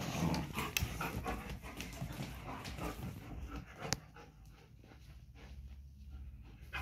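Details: German Shepherds fighting during mating and breeding: rough, noisy, breathy dog sounds pulsing about twice a second, loud for the first four seconds with a sharp click near the four-second mark, then fading to quieter panting-like rasps.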